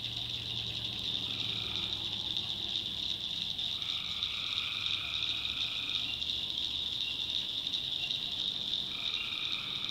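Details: Nighttime tree frog chorus from North Carolina backwoods, an unbroken high-pitched shrill wall of sound with a few lower buzzing trills of one to two seconds and a low steady hum.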